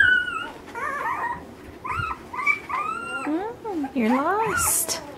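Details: Ten-day-old Alaskan Malamute puppies from Mystique's 2013 litter looking for their mother: layered wavering whines that bend up and down, some sliding low, with a woman murmuring softly nearby.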